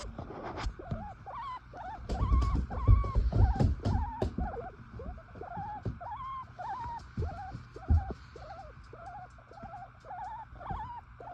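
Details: Baby guinea pigs nursing in their cage while their mother sleeps make a steady run of soft, whistled squeaks, each rising then dropping, about two per second, over low rustling and shuffling.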